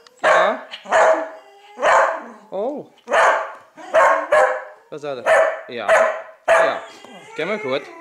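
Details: A dog barks in sharp, loud, harsh bursts while it is urged to attack in play. About ten barks come over eight seconds, roughly one a second, with human voices between them.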